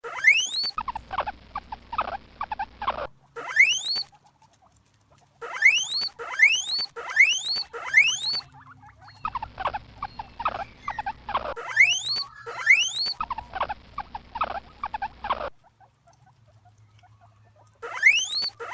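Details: Guinea pig, called preá, giving bursts of low chuttering followed by loud rising whistled squeals that sweep upward, repeated in runs with short silent gaps between groups; a steady low hum underlies the chattering passages.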